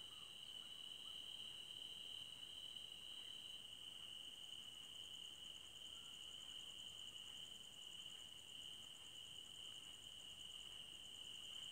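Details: Crickets in a forest at night; a steady high continuous trill with a faint higher pulsing buzz layered above, constant throughout with no other clear sounds.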